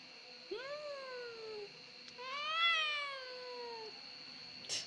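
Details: A domestic cat described as easily crying makes two soft, mournful meows, each rising briefly then trailing downward, the second longer and louder, with a thin steady whine behind and a click at the end.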